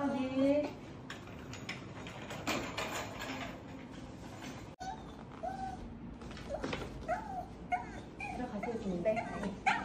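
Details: Maltese dog named Dubu, visited during a two-week hospital stay after cruciate ligament surgery and spay with mammary tumour removal, wanting to go home with its owner: high, wavering whines rising and falling in short bursts, while people talk nearby.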